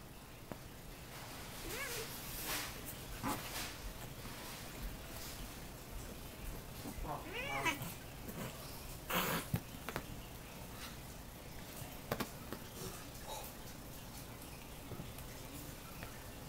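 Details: Two pet cats, Anakin and Mika, play fighting roughly at home. Anakin is a rescued two-legged cat born without a pelvis or back legs. A brief curved meowing cry rises mid-way among soft thumps, scuffles and scattered clicks.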